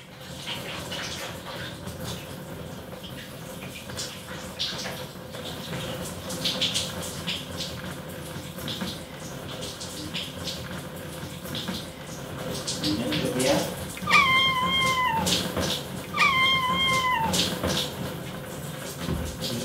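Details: Male short-legged Munchkin cat with white and grey coat, two years old, squeaky chirping meows while trying to rescue its owner in the bathtub; two short bursts of high descending chirps late on, over running water and bathroom echo.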